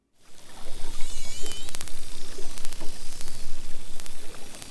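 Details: Common dolphins off Mexico give short bursts of sharp clicks and a brief high whistle; the low fluttering rumble comes from the microphone, not the dolphins.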